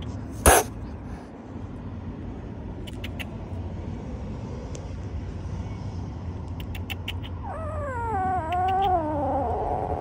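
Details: Angry little stray kitten living on the street letting out a long, wavering, rising-and-falling yowl near the end, after quiet stretches of traffic hum, clicks and a loud bang at the start.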